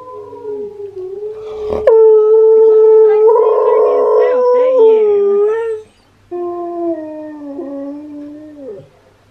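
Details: Husky howling: Steel's singing, met with Key the husky's reaction. A loud, sustained howl with strong overtones swells into a rough, intense middle section. It ends, pauses briefly, and resumes as a steadier, falling howl.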